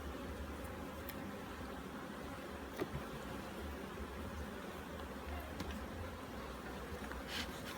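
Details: Dense buzzing of bees from an opened hive in Jamaica while frames are inspected for mites and disease; an even, low droning hum runs throughout, broken by a few brief sharp clicks and taps.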